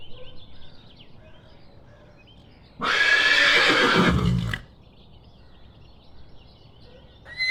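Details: Horse on a farm letting out a harsh, quavering neigh of nearly two seconds that ends in a low, snorting rumble. Quiet birdsong is heard before and after.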